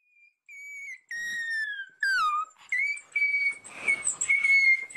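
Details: Newborn Cairn terrier puppy just after birth: thin, high squealing cries, some held and level, others sliding downward, coming in short bursts with brief pauses, rougher and noisier toward the end.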